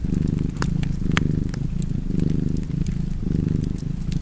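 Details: A cat's continuous low purr, pulsing in slow breath-length waves of roughly one per second, with bright fireplace crackles popping intermittently on top.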